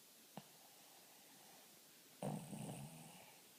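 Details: Dog snoring: after a single soft click, one rough, low, buzzing snore with a steady harmonic drone lasts about a second, then fades into a quiet room.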